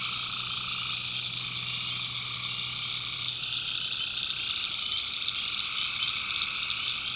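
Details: Tree frogs calling at night in the North Carolina backwoods swamp: a dense, continuous chorus of overlapping nasal trills in two layered tones, with a steady high insect drone beneath throughout.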